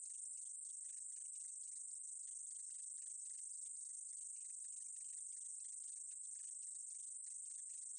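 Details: Meadow katydid from 2020 giving a high, unbroken hissing buzz, steady in loudness, with quick dry ticks flickering just below it throughout; no other sounds.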